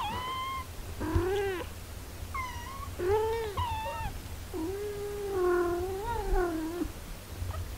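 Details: Domestic cat household with a mother caring for her six-day-old kittens: a run of harmonic meows, some rising then falling, others long and wavering, several overlapping across eight seconds, over a low steady hum.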